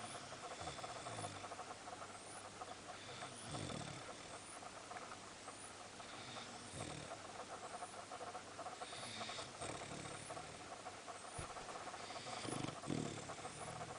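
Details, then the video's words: Sam, a Boxer dog, asleep in a comfy position and snoring: soft rasping breaths return roughly every three seconds over a steady hiss. "THIS IS A COMFY SNORING POSITION TOO"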